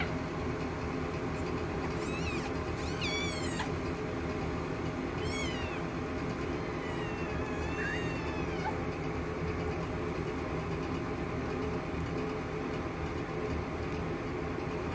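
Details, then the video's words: Two-week-old nursing kittens squabbling at mealtime, heard as several short, high, wavering squeaks and mews around two to nine seconds over a steady loud background hum. "kittens are 2 weeks old cat fighting while nursing!"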